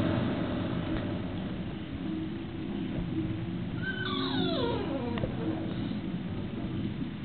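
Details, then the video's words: Female English Bulldog, tied up for being naughty, whining in an effort to be released; a single high, drawn-out whine slides steeply downward midway through, over a constant low rumbling background noise. "English Bulldog - Whining"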